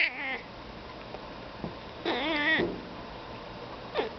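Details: Domestic cat trying to talk to crows outside: a short meow at the start, then a longer wavering, harmonic-rich meow of about half a second, and a faint brief call near the end, with a quiet indoor background.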